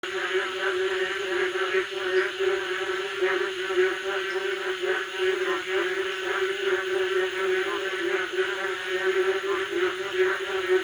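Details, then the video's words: Frogs calling on a summer night in a village: a dense, unbroken chorus of throbbing, pulsing croaks layered into a steady droning hum with a buzzy upper edge, no pauses throughout. "Village noise on summer night. Sound of frog."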